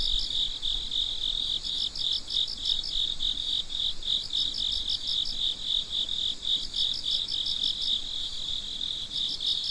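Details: Crickets heard at midnight produce a shrill, unbroken ringing tone with clusters of rapid chirp pulses returning every couple of seconds, plus faint low background noise.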